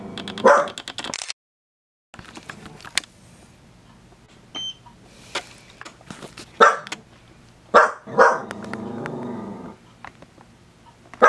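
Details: A dachshund gives short, sharp barks in a few scattered bursts, with quiet gaps between, while getting a toe massage.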